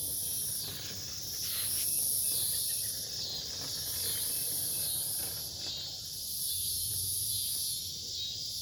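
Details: Cicadas singing at night in a forest near a farm with a fallen tree, Omaha, Nebraska, dated 08 03 2021: a shrill high-pitched buzzing chorus swelling and fading in waves roughly every two seconds, with a softer lower hiss beneath.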